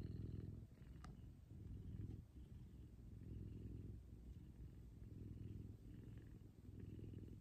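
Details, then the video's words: Big F2 Savannah cat purring loud during a morning cuddle with its owner: a deep continuous rumble swelling and easing with each breath, about every second, with one brief click of handling noise. "Soothing Purrs And Cuddles. Big F2 Savannah Cat"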